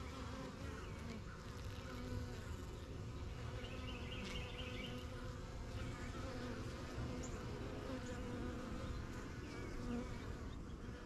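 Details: Steady deep humming from many honey bees coming and going at a strong yellow backyard hive, still new to their surroundings; a brief bird twitter rises once over the continuous buzzing.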